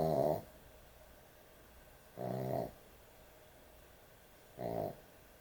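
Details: A dog asleep at bedtime snores loudly; three raspy, buzzy snores arrive about every two and a quarter seconds over steady low indoor room noise.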